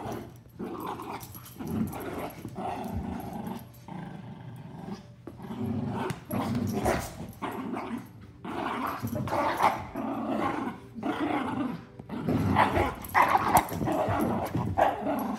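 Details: A miniature schnauzer and a giant schnauzer scuffle indoors, trading deep, ragged growls in uneven bursts with brief pauses between them and occasional sharper snarling barks.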